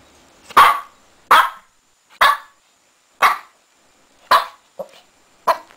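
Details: Six-month-old Shih Tzu puppy named Lacey, playing wildly in her bed, gives sharp, loud barks roughly once a second, seven in all including one shorter, softer yip, with quiet pauses between and no other sounds.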